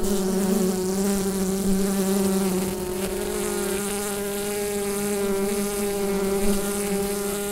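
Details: Bees humming inside a hive, captured with a Rode NT-USB microphone: a dense, steady drone with a low fundamental and stacked harmonics, a slightly louder band wavering during the first three seconds, then holding even.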